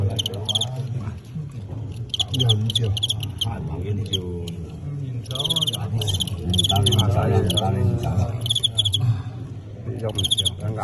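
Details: Fighting crickets in a folk-culture match between Tengxian and Qingyuan crickets; short, bright, ringing chirps come in quick clustered bursts through the middle and the end, over constant loud chatter from people watching the bout.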